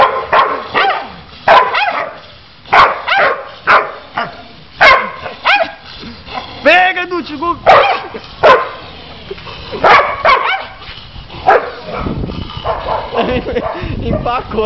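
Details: Pit bull set against a poodle, barking in sharp repeated bursts roughly every second, loud and harmonic-rich, while people shout encouragement in Portuguese throughout; a rougher, noisier stretch near the end.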